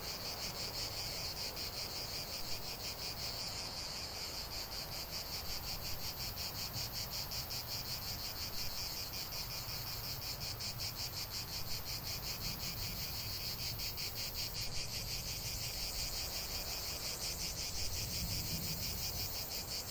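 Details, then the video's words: Chorus of cicadas singing in nature: a dense, continuous buzzing drone, strongest high up and finely pulsed throughout, with a low rumble of background noise underneath and no other clear sounds. "45 min de chant des cigales"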